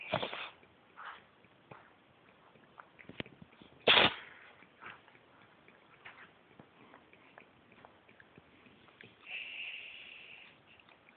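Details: Pet cat named Monkey sneezing repeatedly indoors: a breathy burst at the start, a loud sharp sneeze midway, soft sniffs between, and a faint hissing tone near the end.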